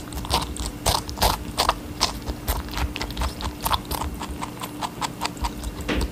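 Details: A rabbit eats watermelon with quick, wet, crunchy bites repeated several times a second.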